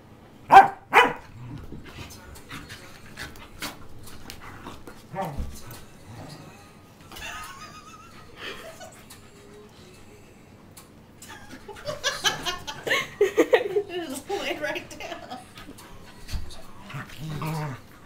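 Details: Pembroke Welsh Corgis Monte and Rocky, a tri-color pair, play fighting; two sharp barks open, then scattered yips, a rising whine and a noisy stretch of growling, snarling tussle sounds toward the end.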